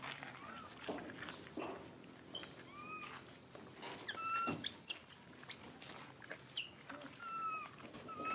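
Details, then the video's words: Baby monkey crying and screaming: thin, high whistled cries, some gliding up or down, scattered through the recording between soft clicks, taps and handling noises. "Poorest baby monkey crying screaming so pity"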